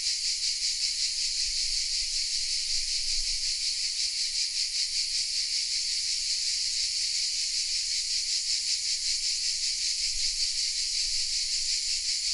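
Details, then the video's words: Cicada chorus among the oaks of Vézénobres, a small village in southern France, recorded by camera; sustained sizzling high buzz throbbing in steady quick pulses, with occasional soft low rumbles underneath. "The sounds of CICADAS"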